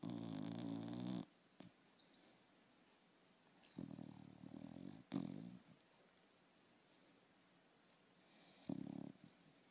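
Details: A dog asleep gives rough, throaty snores, some long and some short and sharp, separated by several seconds of near silence.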